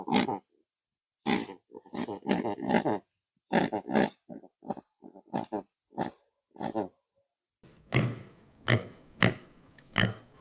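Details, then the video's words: Pig grunting in short, harsh, broadband bursts, irregular and clustered, with louder, rougher squeal-like grunts near the end. "Meet the Pig! 🐖 Hear the Oink Sound"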